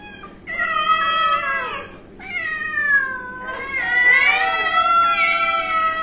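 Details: A domestic cat lets out three prolonged, plaintive meows in a small room, each swelling and dipping in pitch, the last one rising and wavering before tailing away.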